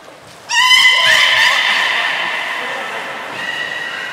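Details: Beluga Nana or Niko during a training session at Port of Nagoya Public Aquarium, 7 October 2018: one sudden loud harmonic call, whinny-like and held, that wavers and slowly fades over about three and a half seconds, with a faint echoing room behind.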